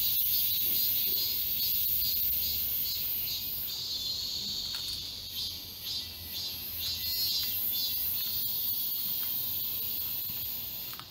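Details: Cicadas singing together in the forest of Galsan Park, Mokdong, Yangcheon-gu, Seoul, in midsummer; a dense shimmering high-pitched buzz with pulsing swells, overlapping callers forming a continuous chorus, faint low hum beneath.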